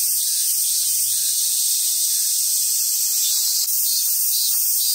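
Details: Shrill unbroken cicada drone in summer on Awaji Island, Hyogo, Japan, at a park with wild Japanese macaques, with a faint low hum in the background.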